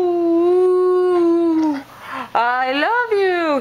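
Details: Kaiser, an Alaskan Husky asked to speak, holds a long steady howl that drops at the end, then gives two rising and falling talking howls, loud and close, with a person's voice coaxing nearby.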